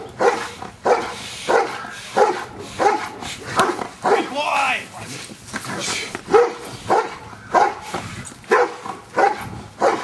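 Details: Giant Schnauzer Luther barks steadily through Schutzhund stick hit practice, some fifteen strong barks in ten seconds at a regular pace, interrupted around four seconds by a human voice and sharp impact sounds.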